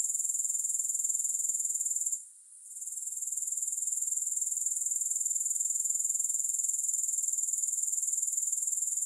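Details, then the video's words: Continuous high, hissing grasshopper stridulation, evenly pulsed roughly four beats per second, with a short fade just after two seconds and then a steady return; nothing else is audible. "3 Hours of Grass Hopper Sounds"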